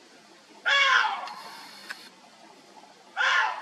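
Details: A water deer (Hydropotes inermis) in Korea, met while out birdwatching, gives two loud, hoarse, screaming barks about two and a half seconds apart.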